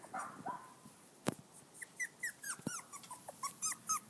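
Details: Rapid high yips and squeaky whimpers repeat about four times a second from five-week-old poodle-shih tzu mix puppies reacting to grass for the first time, with a couple of sharp knocks.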